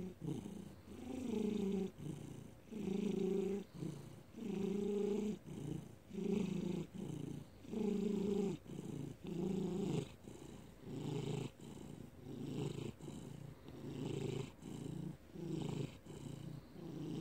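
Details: Felix, a domestic cat, purring in May 2019; rhythmic low rumble repeating about forty times a minute, loud pulses alternating with softer breath gaps, steady throughout.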